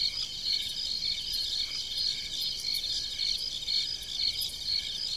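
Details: Night chorus of crickets in country fields by a farmhouse, shrill pulsing chirps recurring roughly twice per second above a continuous high buzzing trill, with soft low hiss underneath.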